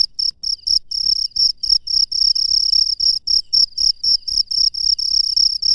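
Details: At night in the wild, a cricket repeats high, trilling chirps at a fast, slightly uneven pace of nearly four per second, the pulses sometimes running together, over a faint low rumble.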